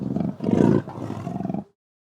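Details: Leopard roaring: a deep, rasping, grunting growl in two or three pulsed surges over under two seconds, then silence.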